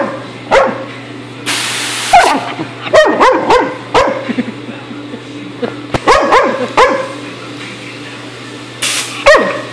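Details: Dog attacking an airgun hose, barking in quick clusters of sharp yips between hissing air blasts, over a constant low hum, with a voice telling it to sit down.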